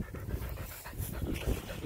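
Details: Eli, a Border Collie, catching a frisbee from a distance; quick, breathy panting in a steady low rhythm of about four pulses a second, close and unbroken over the short stretch.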